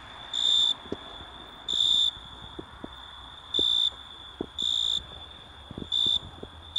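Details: An Italian tree cricket (Oecanthus pellucens) sings in short, pure, high trilled bursts repeated every second or so.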